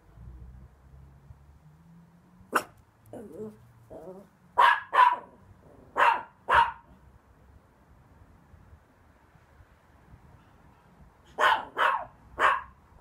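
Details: Barking rescue Chihuahua: high, sharp barks mostly in quick pairs, with a single bark, a pair after about two seconds, another pair, then a run of three near the end; soft low rumbles and quiet gaps between.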